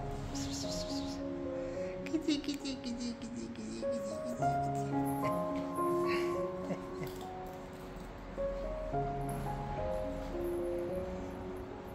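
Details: Gentle melodic instrumental music plays throughout, with soft speech faintly underneath.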